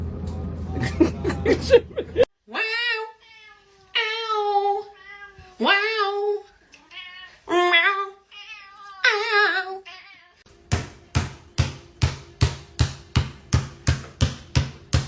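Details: Domestic cat from a funny cat compilation giving about five drawn-out, wavering meows spaced a second or two apart, after a burst of muffled voices, then a run of sharp, evenly repeated tapping pulses roughly twice a second.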